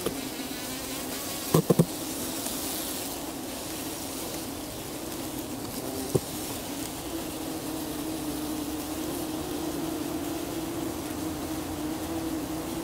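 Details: Buff-tailed bumblebee nest recorded on 4 July, with a male trying to mount a young queen; a steady low droning hum from many bees, a few sharp knocks near the start and another around six seconds.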